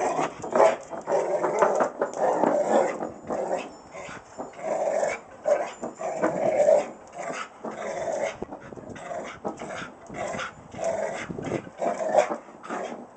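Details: A Rottweiler keeps up a long run of rough, rumbling growls and whiny moans, loud stretches alternating with quieter breaths, with no pause longer than a moment across thirteen seconds.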